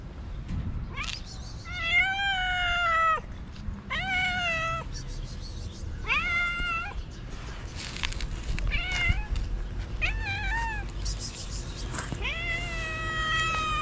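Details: Hungry stray cat in Morocco begging for food early in the morning, giving a run of insistent meows roughly every second or two, some drawn out and bending upward, others short, with faint outdoor background noise.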